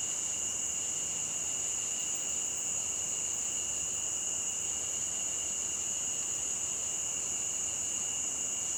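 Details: A cricket chorus beside a stream, a continuous shrill ringing at two pitches with faint pulsing in the upper layer, over a gentle, constant rushing hiss.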